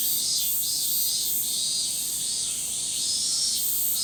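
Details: Massed chorus of Min-min cicadas in a forest in summer, a loud high-pitched drone swelling and fading in regular throbs roughly every half second, nothing else clearly heard.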